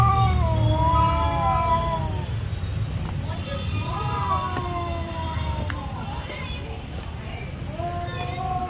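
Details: Domestic cat in a territorial fight, uttering several drawn-out yowls separated by short gaps, each wavering and falling, with clicks and low rumbling background noise.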